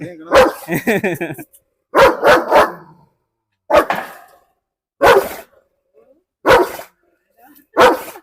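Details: German Shepherd in Perumbavoor, provoked by visitors in a dog challenge test of biting. Single and double harsh barks repeated every second or two over eight seconds, with people talking between bursts.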